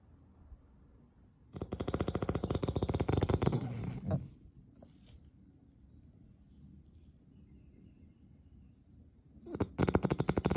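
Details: Sleeping pet beagle named Rocket in Australia snores loud: a harsh rattling snore of about two and a half seconds, a quiet pause with soft breaths, then another rattling snore beginning near the end.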